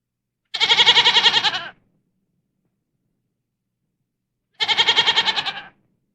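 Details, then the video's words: Domestic goat (Capra aegagrus hircus) bleating twice, about four seconds apart; each call is a wavering, tremolo 'maa-aa' lasting a little over a second, with nothing else audible. "The Sound A Goat Makes ~ Goat Sounds"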